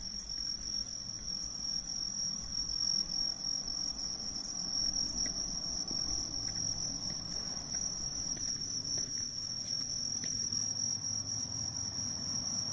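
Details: Bell crickets chirping outdoors on the night of the mid-autumn full moon, 18 September 2024: a steady, unbroken high ringing tone that holds throughout, over a soft low rumble.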